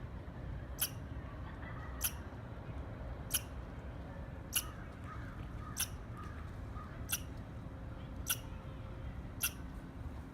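A squirrel gives sharp, clipped chirps, evenly spaced about every second and a quarter.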